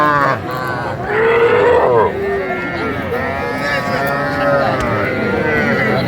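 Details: Calves bought by Comilla farmers at a Bangladeshi cattle market, 11 January 2025. A drawn-out bawl swells near the second mark, with further overlapping calf calls and human talk throughout the busy market.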